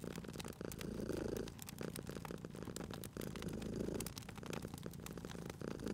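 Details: Purring cat next to a crackling fireplace: two louder rumbling swells of purr, near the start and again midway, over a constant low purr, with frequent snapping crackles of fire.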